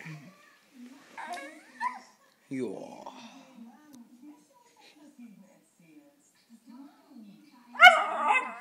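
A West Highland White Terrier lets out a few short, high-pitched barks and a bright yap near the end, asking for a treat. Quiet human speech and soft whimpers run beneath.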